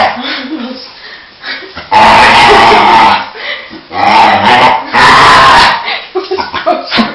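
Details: Pet dog excited just before being taken for a walk, making loud, harsh, strained howling-whining sounds in long bursts of about a second, with softer whimpers between, indoors.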